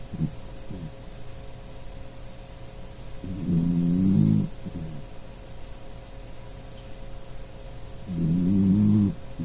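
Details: A pet Dachshund named Puchi sleeping and snoring, which it often does; low droning snores about a second long rise and fall in regular cycles roughly every four to five seconds, with a faint steady hum in the background.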